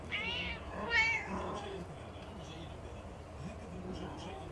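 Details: Two of four domestic cats give loud, rising-and-falling meows while begging for food, on 20 March 2019, as a person speaks quietly.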